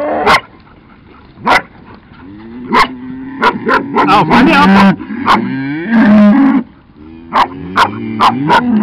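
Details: Cattle driven slowly by two herding dogs, one a cattle dog; long low moos overlap repeated sharp barks and a person's calling voice.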